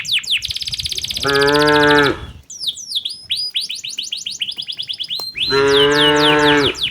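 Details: Tame cattle driven by a herder toward their pen in the late afternoon in a quiet village setting. Two long, deep, harmonic moos, one around the middle and one near the end, with busy bird chirping throughout.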